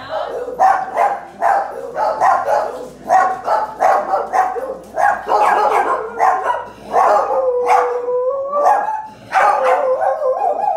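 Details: Two pet dogs, Hannah and Ollie, reacting to a passing street sweeper they dislike: rapid yelping barks repeated roughly twice a second, building into a drawn-out, wavering howl near the end.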